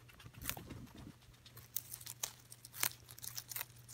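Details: Celery being munched by Coco the guinea pig, with a brief rustle, then scattered sharp crunches and snaps spaced irregularly across a few seconds, a faint constant low hum underneath.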